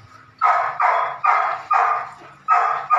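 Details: Nine-week-old Belgian Malinois puppy named Evita during ball and prey drive training, giving sharp, high puppy barks in a quick series of six, spaced roughly half a second apart, with quiet background between them.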